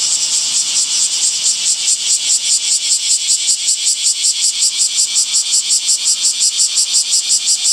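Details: Cicada singing in summer, a shrill buzz beating in regular pulses almost three times per second, about twenty throbs in a row, even and unbroken.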